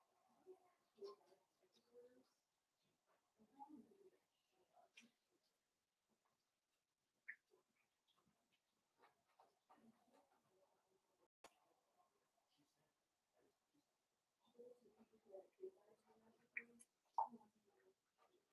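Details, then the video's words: Blenheim Cavalier King Charles Spaniel puppies, a litter of five born on New Year's, playing with their mother Paris in an indoor puppy pen. Soft scattered grunts and small squeaks come in loose bursts, with quiet gaps between. "Cavalier Puppies Play with Mama"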